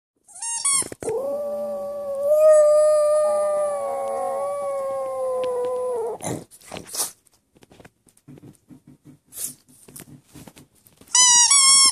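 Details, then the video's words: Boston Terrier dog howling while squeaking a toy: a long, steady, tonal howl held for about five seconds, framed by sharp squeaky-toy squeaks at the start and end, with soft scattered noises in between. "Boston Terrier Dog Howls While Squeaking Toy"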